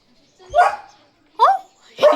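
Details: Leo, a German Shepherd, barks after spotting another dog; three short, sharp barks with falling tones roughly every 0.7 seconds, the second and third loudest, with faint human voice in the background.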